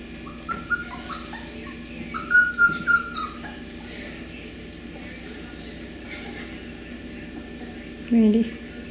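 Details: Young Beagles of the Camo and Buddy litter, with female 5964 nearby, recorded 18 April 2020: thin, high whistled whines in short bursts early on, a brief low yelp near the end, and soft human voices in the background.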